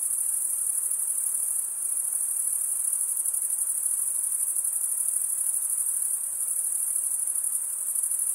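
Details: Many crickets chirp together in a bright, sustained high trill, rapidly pulsing and steady from start to end, over a faint background hiss.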